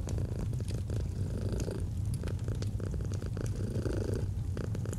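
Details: Domestic cat purring steadily in a cozy autumn setting, a deep low rumble swelling and easing with each breath, while a fireplace crackles with sharp pops throughout.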